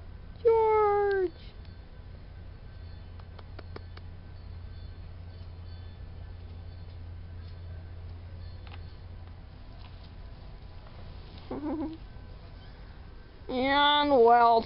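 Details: Young farm kitten from a litter of four, Hank, Lydia, George and Wilson, offspring of the cat Spanky: a short falling meow at the start, a faint brief mew later, and a loud stuttering meow at the end, steady low hum throughout.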